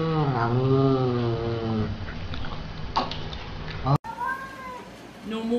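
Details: Cat meowing loudly in a long, wavering, drawn-out cry that rises and falls over the first two seconds, with faint speech and clatter behind it, then an abrupt cut to a second, shorter rising meow.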